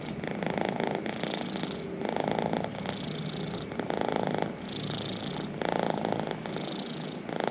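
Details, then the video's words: Domestic cat purring up close, the rumble alternating between louder inhaled and exhaled phases roughly every second or so, steady and unbroken throughout. "The healing power of cat purrs"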